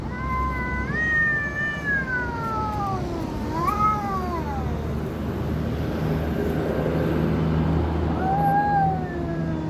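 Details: Cat making creepy noises: drawn-out wavering yowls that rise and then slide downward, three long moaning cries with pauses between, over a low background hum.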